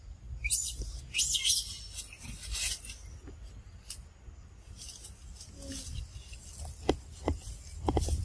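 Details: Baby monkeys of the Sovana and Amber group playing with a friend; loud, shrill high squeals burst out in the first seconds, then softer scattered chirps and clicks over a low background rumble.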